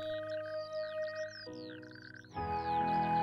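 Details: In spring at Skagens Odde, Denmark, natterjack toads that have gathered at dune ponds to mate give rattling, purring trills in short bursts, over soft background music.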